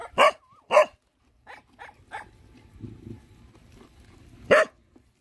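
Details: Hungry dogs, including puppies with their mother, being fed: sharp loud barks, two quick ones close together, then softer yips and a final loud bark after a pause, with low rumbling background noise.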